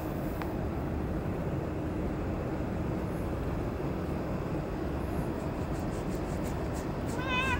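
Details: Cat at Dockyard Garden, recorded 30 May 2017 around 6:09 in the morning; a short, harmonic, wavering meow comes near the end over a steady rumble of urban background noise.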